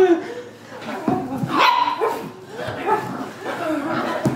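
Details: A Corgi puppy playfully attacking gives short, squeaky yips and little rough growls, with human voices, laughter and an "ouch" mixed in; Corgi.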